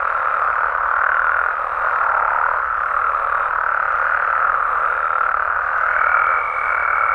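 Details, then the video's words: Massed croaking of Mexican frogs and toads after dark in natural surroundings, a constant rolling chorus with slight swells in loudness and a high steady tone entering near the end. "Mexican Frogs & Toads Sounds"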